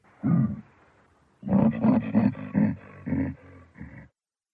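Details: Baboon giving one harsh, deep bark, then after a pause a rapid series of about seven rough, pulsed grunting barks that gradually weaken.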